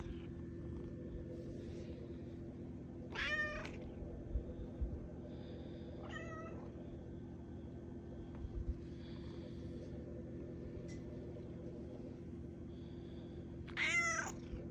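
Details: Malia, a cat waking her owner early, meows three times with long pauses between: rippling harmonic calls, the last the loudest, over a constant low hum.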